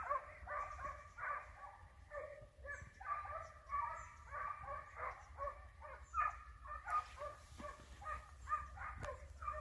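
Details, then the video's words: Dogs in full cry during a hare hunt after the hare is flushed and in sight: continuous, overlapping, tuneful yelping barks from several animals, irregular rhythm, with brief higher chirps and low wind noise. "Caccia alla lepre SCOVO LEPRE IN VISTA 2 VOLTE"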